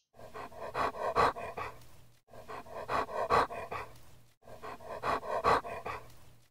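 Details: Dog panting: rhythmic runs of short, breathy, slightly voiced pants, each run about two seconds long and fading out, with the same sequence heard three times in a row.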